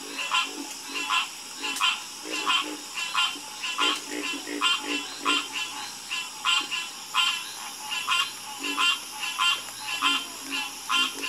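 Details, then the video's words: Chorus of croaking frogs: harsh, buzzy pulsed croaks come in quick succession, about one and a half per second, with softer deeper croaks between them and a steady shrill hiss running throughout. "Calming Sound Of Harmonious Frog Croaking"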